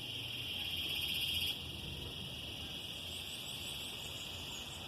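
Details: A chorus of cicadas in summer, among trees around a garden orchid, fills the air with a continuous, piercing, shrill buzz, louder at first before settling to an even hum, with faint higher chirps above the steady drone.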